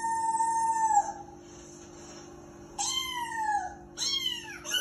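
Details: A Persian cat watching TV gives three drawn-out, falling meows over a steady low hum.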